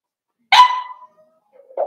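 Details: Four-week-old Cavalier King Charles Spaniel puppies from Daisy's litter in their pen: one sharp, bright yelp breaking into a short falling whine, then a brief soft squeak after a pause.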